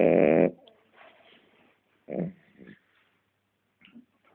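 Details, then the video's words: A pet French Bulldog snoring indoors: one loud, rough, harmonic snort at the start, then quieter breathy snores with two short raspy bursts midway and faint wheezy breaths near the end. "mi bull dog frances roncando"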